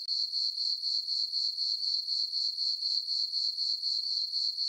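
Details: Summer-night crickets in a moonlit farm meadow keep up a continuous shrill chirping. The even, high-pitched pulses beat roughly four per second over otherwise quiet darkness.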